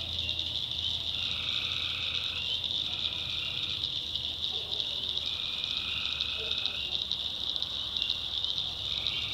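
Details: Tree frogs calling at night, North Carolina backwoods: bright continuous chorus with lower trills of one to two seconds entering repeatedly, plus a few brief faint chirps in the middle range.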